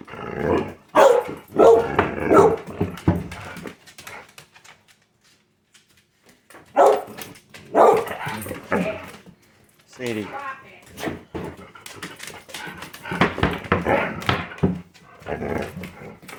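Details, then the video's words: Pet dogs said to be talking to their owner indoors, producing bursts of grumbling, yappy vocal sounds in several clusters with silent gaps, a woman's voice briefly in between. "Talking and Dancing dogs"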